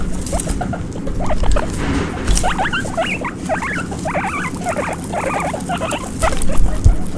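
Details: Baby guinea pig running around, short rising puipui squeaks in a loose series, partly masked by heavy low rumbling and occasional knocks.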